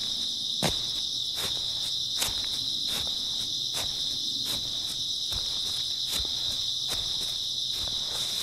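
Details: Early autumn night chorus of grass insects, an unbroken high-pitched trilling drone, while someone walks with steady footsteps close by.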